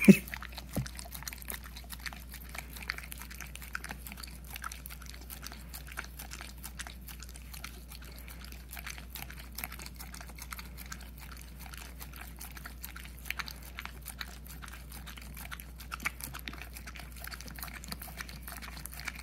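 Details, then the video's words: Puppy Hunter, nearly one year old, works at peanut butter inside, giving a long stream of soft licking and chomping clicks after a sharp knock at the start, over a low steady hum. "puppy eating peanut butter"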